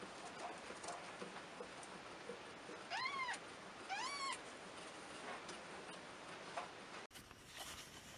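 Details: Domestic cat, mother cat with nursing kittens: two short arched meows about a second apart, high-pitched and harmonic, with soft rustling around them and an abrupt cut near the end.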